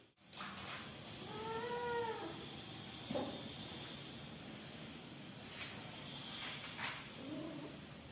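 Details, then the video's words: Newborn kittens at home: one clear arched meow around two seconds, then faint cries and soft clicks and knocks later in the clip, with steady background hiss. "Cute Newborn cats and Kittens Meowing"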